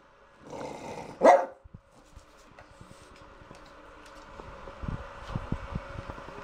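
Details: French Bulldog barking on command in a bathroom before a bath: one short, loud bark after a softer grumble, then quiet with a man's voice and small knocks.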